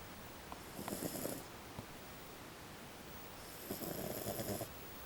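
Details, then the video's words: Small female French Bulldog snoring indoors: two rasping, breathy snores about two seconds apart, each lasting roughly a second with a hissing high edge over a rough low rattle. "French Bulldog snoring"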